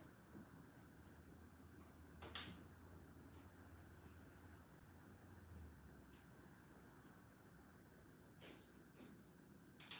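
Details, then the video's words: Background crickets heard while the room is otherwise empty of talk, giving an unbroken shrill high trill, interrupted by a few sharp knocks and clicks, one loud near two seconds and more near the end. "Enjoy the crickets,"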